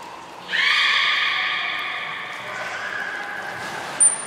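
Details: A single drawn-out, rich harmonic squeal from a beluga, lasting about three and a half seconds and slowly fading, recorded during a training session with Nana and Niko at Port of Nagoya Public Aquarium, October 2018; a faint high chirp at the end.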